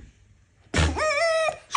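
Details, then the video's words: Domestic red fox making a drawn-out, wavering whine with a rising then steady tone, lasting under a second, indoors before bedtime while being talked to in Russian; a sharp thump precedes it. "Talking to the fox before bed"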